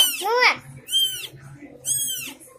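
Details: Three kittens newly born at home calling: three shrill, arching mews about a second apart, each rising sharply and sliding back down, over faint low background hum.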